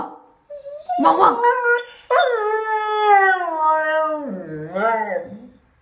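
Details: Husky puppy vocalising in a toilet, a small indoor room: rough yelps rise into a sustained, slightly falling howl-like moan, ending in a low, wobbling grumble and a brief upward whine.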